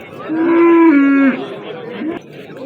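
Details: Cattle at the Amudaryo market, 27 April 2025: one strong drawn-out moo lasting about a second, holding level then dropping slightly at the end, followed by a softer trailing groan amid faint crowd noise.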